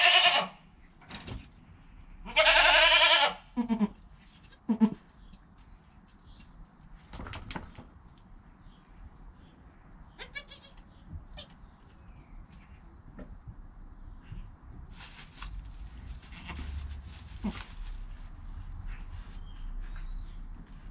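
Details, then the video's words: Newborn goat kid in its first hour after birth, its mother calm nearby, captured on a GoPro: one loud bleat early on, followed by shorter fainter cries and scattered rustling and knocking sounds. "Baby Goat - One Hour Sound and Video"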